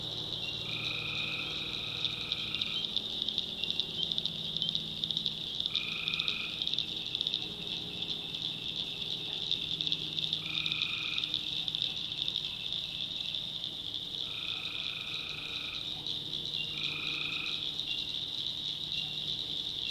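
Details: Tree frogs at night in a backwoods North Carolina swamp: an even, shrill chorus throughout, with about five separate lower buzzy calls of roughly one to two seconds each rising above it at uneven intervals.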